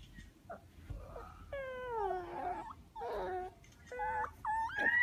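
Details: Two zoo-raised Amur leopard cubs, adopted after their mother stopped feeding them at 8 days old, give a string of high, tonal mews that slide down and then lift at the ends.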